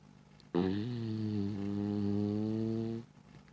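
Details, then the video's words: A pet dog snoring: one long, steady, low droning snore with a buzzy, harmonic tone lasting about two and a half seconds, then it stops, in an otherwise quiet indoor setting. "My dog snoring"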